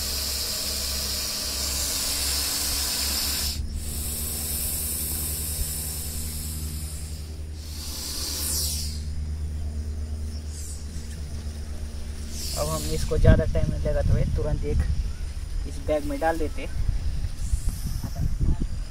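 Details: During a rescue in Baramati, Maharashtra, India, an aggressive Russell's viper gives sustained, pressure-cooker-like hisses, two strong blasts in the first seven seconds, then fainter hissing while a man speaks.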